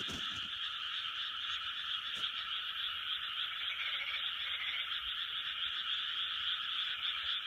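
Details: Large chorus of frogs recorded in 2020: a dense, unbroken wall of overlapping croaks, high and rasping, with many callers pulsing rapidly and blending into one steady, even drone throughout.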